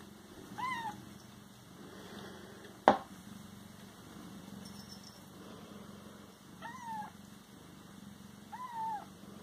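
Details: Siamese cats indoors, three short arched meows spaced a few seconds apart over a soft purring rumble, with one sharp knock in the middle and a faint high hum.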